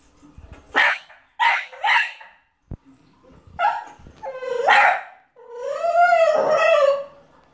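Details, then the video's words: French Bulldog watching a film on TV, crying in response: short breathy yelps and whines followed by a long, wavering high-pitched whining cry near the end. "French bulldog crying to beethoven the movie"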